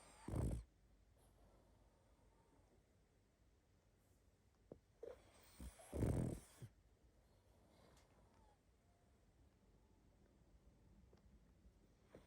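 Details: A pug asleep, giving loud rattling snores spaced several seconds apart: a short one at the start, then a longer, deeper drawn-out snore, with faint nasal wheezes between them in a quiet room.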